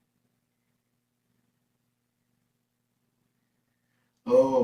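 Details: Four seconds of silence end in a brief human sigh or voiced breath.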